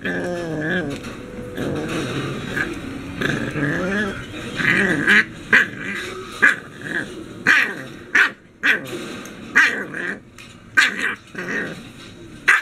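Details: An English Bulldog puppy fighting a baby gate after being left alone gives wavering, whiny growls, then sharp rattling knocks take over.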